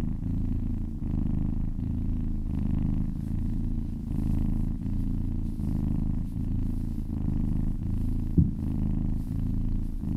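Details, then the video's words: Massaged kitten purring contentedly, a throaty low vibration swelling and easing in steady breaths, one faint tap heard late on. "Purring kittens"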